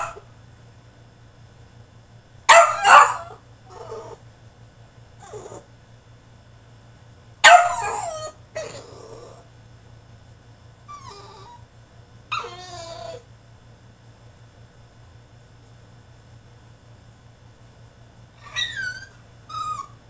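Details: A male French Bulldog throwing a tantrum in his cage gives scattered bursts of high, wavering whines and sharp yelps, spaced several seconds apart with quiet gaps between outbursts, over a steady low hum.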